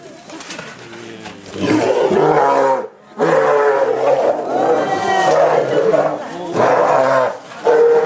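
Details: Captive polar bears, twin males at Obihiro Zoo, Japan, filmed the morning of 27 February 2010 as one threatens the other to keep it away from a yellow tube; loud harsh harmonic roaring bursts, broken by a brief silence near three seconds.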